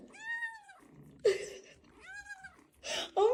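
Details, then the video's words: Kitten indoors meowing repeatedly: two clear, even, tonal meows about a second apart, alternating with short bursts of noisy handling sounds and a sharp high squeak at the end. "kitten meowing cute"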